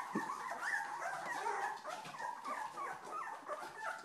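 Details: Old English Sheepdog puppies, two weeks old, whine and squeal together in short wavering high-pitched cries, some rising and falling, overlapping continuously from many young pups.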